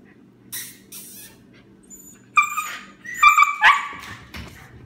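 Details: Husky slipping around on a freshly mopped floor indoors: short high whining yelps and a brief rising yowl with clear overtones near the end, over quiet tapping and household hum.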